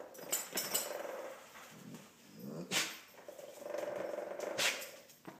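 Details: Weimaraner jaw chattering loudly from cold outside, a fast rattling of teeth in bursts broken by short pauses, sharp breaths or sniffs between, a woman's quiet voice at the start.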